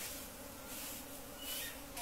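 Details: Honey bees at a hive during honey collecting, Khasi Jaintia bee cultivation: a steady, low droning hum runs unbroken through the clip, with faint voices in the background.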